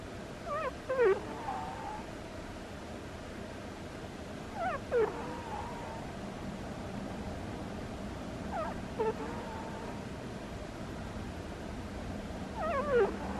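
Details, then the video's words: Sleeping pet cat named Butters snoring with squeaky, whistled notes: a short falling squeak at each breath, about every four seconds, each with a sliding tonal tail, over a soft steady background hum. "Cat has squeaky snores"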